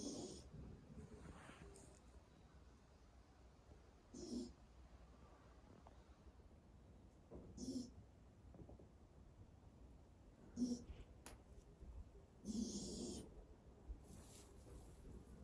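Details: A horse foal in deep sleep snores loudly in the middle of its stall as its dam Ave Mama stays quietly in a corner. Soft rasping breaths return every three seconds or so, with some louder ones.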